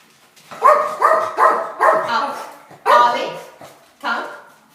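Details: Tiny dog going nuts at the doorbell, barking toward visitors: six sharp, high-pitched yapping barks, four in a quick run, then two more spaced about a second apart.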